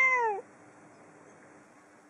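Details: Female pet cat indoors in Japan, meowing toward the outside through an opened curtain in the afternoon: a single short, clear, downward-sliding meow, followed by quiet room hum.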